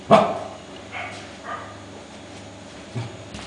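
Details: Five-week-old Welsh Corgi puppies exploring, playing and scuffling together: one sharp, loud yip at the start, followed by a few faint, short squeaks and soft thumps over a low steady hum.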